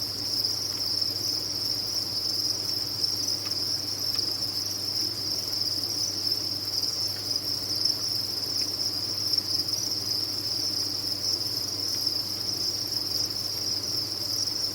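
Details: Crickets massed on a cricket farm produce an unbroken, high, ringing trill, countless chirps blending into a constant wall of sound, with a soft low background hum.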